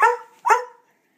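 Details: A pet dog in a messy room, told to speak, answers with two quick, clear barks about a third of a second apart, each bright and harmonic with a short tail, then silence.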